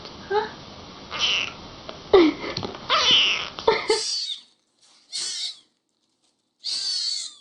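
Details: Little kittens crying: harsh, noisy squeals and wavering mews run together at first, then three separate thin, very high squeaks with silence between them.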